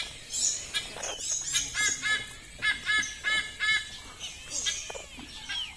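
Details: A siamang at a zoo in Jantho, Aceh Besar, Indonesia, calls in harsh, nasal honks repeated about three times a second, with thin, sliding shrieks above and a faint background hiss.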